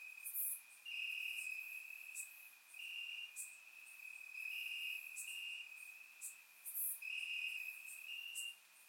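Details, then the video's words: Night crickets in grass during a warm Bulgarian summer, surround microphone recording: one steady piercing trill with periodic louder pulsed phrases every second or two and a few sharp high ticks. "Cricket Sounds - Crickets Chirping at Night"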